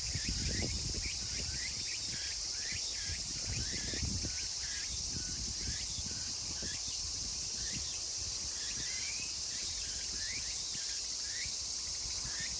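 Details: Late-summer chorus of Meimuna opalifera, Kawagoe, Saitama, Japan, 24 August 2020. Rapid, curling upward phrases repeat steadily throughout against a bright steady insect hiss, with a few soft thumps near the start.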